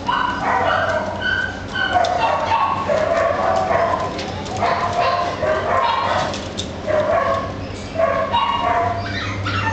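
An Italian Greyhound gives short yappy barks mixed with high whimpering whines.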